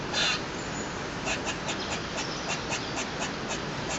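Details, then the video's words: A squirrel on a balcony gives a rapid series of harsh, clicking chucks, repeated several times each second, making lots of noise for no clear reason. "Squirrel making a strange noise!"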